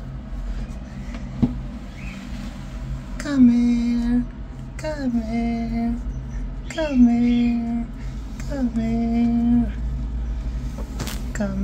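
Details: Yellow kitten family, shy at first and then friendly, with repeated drawn-out meows, four long level wails spaced about two seconds apart, over a low steady hum and faint background noise.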